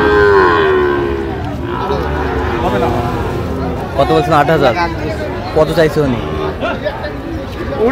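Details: Sahiwal bulls and calves at the Ambari cattle market in Feni, Bangladesh, 1 August 2025: a loud, drawn-out low moo opens, sliding gently downward over about a second, then gives way to steady crowd chatter and people talking among the livestock.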